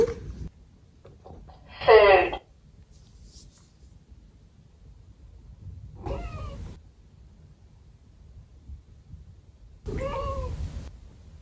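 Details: A 15-year-old senior cat, a female, meowing indoors: a loud drawn-out meow near two seconds, then two shorter softer meows at about six and ten seconds, with quiet pauses between.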